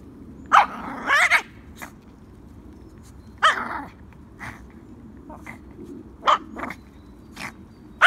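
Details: A Yorkshire Terrier named Peanut worries sticks in play. Scattered sharp yips and a growly double bark come every second or two against a low steady background.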